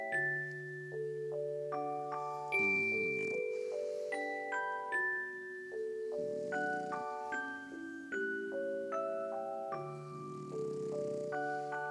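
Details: Mallet percussion music with glockenspiel-like chimes plays in a small room, with no animal sound heard.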